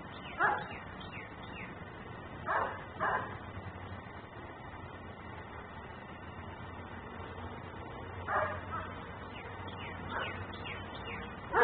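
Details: Outdoor dog in Mecklenburg left to bark until taken inside, recorded on a looping camera; scattered single and paired barks, gaps of several seconds between them, over a low hum and frequent small bird chirps.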